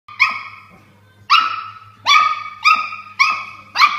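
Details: Toy Poodle, unhappy with a water bottle sitting there, fighting back at it: six sharp, high-pitched yappy barks, spaced roughly half a second to a second apart, in a quiet room with a faint steady low hum.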